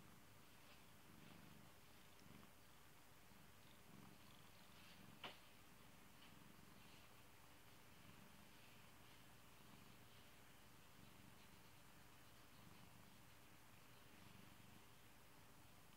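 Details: A beloved pet cat purring indoors: a soft, steady low rumble pulsing continuously through the whole stretch, with one brief sharp click partway through and a quiet room hush behind.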